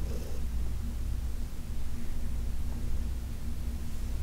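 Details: Low, even purring from Heidi, a senior female cat adopted from the Humane Society of New York City, while she is massaged on August 4, 2021; a soft unbroken rumble with little change.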